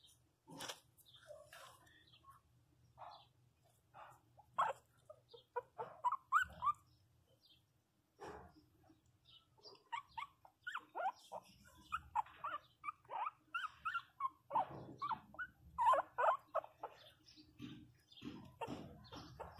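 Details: Pinscher puppy, 27 days old, crying after falling and hitting its head; many short high whimpers and yelps in irregular bursts, growing denser and louder toward the end, with faint low hum beneath.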